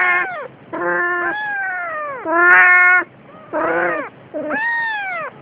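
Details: A Siamese cat carrying a kitten gives a run of loud, drawn-out, wailing meows, each bending in pitch.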